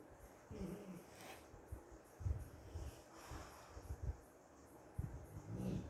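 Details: Female American Bully asleep and dreaming, making funny sounds: low snuffling snorts and breathy huffs, with short soft whimpering tones near the start and end, in a quiet indoor room.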